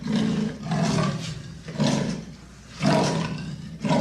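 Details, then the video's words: Leopard giving deep, hoarse rasping strokes, about one per second, each a rough broadband burst with a strong low rumble and pauses between strokes. "The sound of the leopard is like a large displacement engine"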